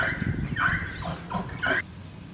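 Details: A baby male Hartmann's mountain zebra at a zoo, making his presence known while getting water, gives a quick run of harsh, barking yelps, each bursting out then breaking off.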